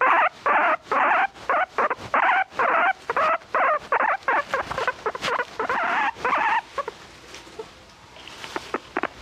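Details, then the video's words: Pet guinea pig calling insistently: a rapid run of loud, squeaky bursts at roughly two per second for about seven seconds, then fading into a few softer, scattered sounds. "My guinea pig has a lot to say"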